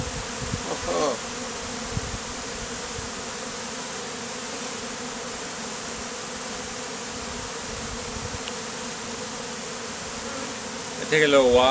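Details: Steady drone of many honey bees settling on a man's face and chest as a bee beard, bees removed from a statue; a continuous hum with a brief rustle at the start and a louder burst of noise at the end.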